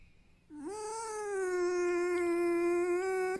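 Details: Tame pet red fox in a room whining for attention and petting, content and not in pain; a long sustained squealing note of nearly three seconds, a short dip at the start, then level and nasal, with a woman's voice nearby.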